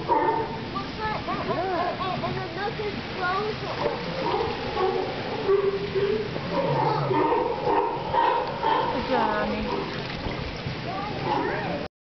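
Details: At Santa Cruz a crowd of sea lions keeps up a dense chorus of raspy, wavering barks and groans, several voices calling over one another without pause.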